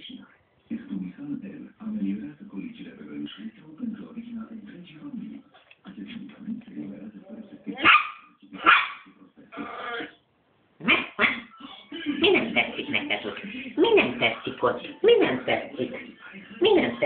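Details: An angry three-month-old West Highland White Terrier puppy: human talking and music at first, then bursts of high, sharp barks, with rapid barking in the final five seconds.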